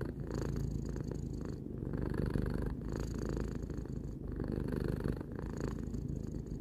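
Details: Domestic cat, a three-year-old pet, purring steadily: a low rumbling drone with rhythmic pulses, swelling and fading with each breath roughly every one to two seconds, continuous throughout with no other sounds.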